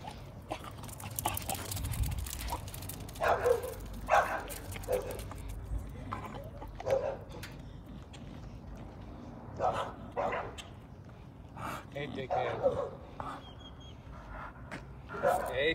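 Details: American Bully named Shyne giving a series of short, gruff barks in irregular bursts, several close together in pairs, over a low steady background hum, with a man's voice calling out nearby.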